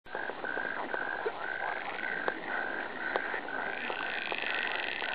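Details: Frogs croaking together in a steady chorus: short nasal notes repeat in quick overlapping series, with scattered sharp clicks and a continuous hiss beneath.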